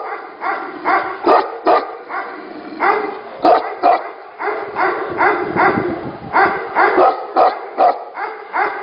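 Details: Several Tibetan Mastiffs at a Tibetan Mastiff 'factory' give repeated loud harmonic barks, around two to three a second, overlapping and uneven, with a short rougher, noisier stretch midway.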